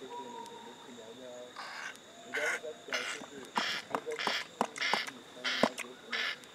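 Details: Male chimpanzee Stanley grooming his pal Gabby at a sanctuary, making lip-smacking grooming noises with subtle grunts: breathy, noisy smacks and sharp clicks in irregular bursts about every half second, after a quieter opening with faint background tones.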